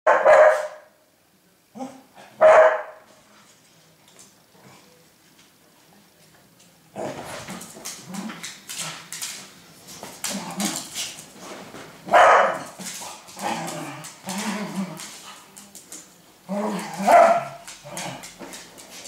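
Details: Dog barking: two sharp, loud barks in the first three seconds, a brief lull, then busy scuffling and low grumbling noise broken by further strong barks near twelve and seventeen seconds.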